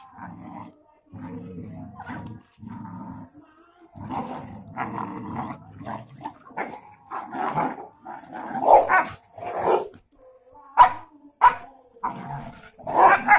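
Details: German shepherd, brown Doberman and two Labradors, friends play-fighting and going wild: low rumbling growls early on, then a rising flurry of sharp, loud barks and yelps in irregular bursts toward the end.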